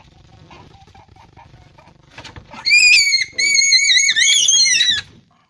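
A rabbit gives a loud, high, wavering squeal during mating, after a few seconds of low murmuring.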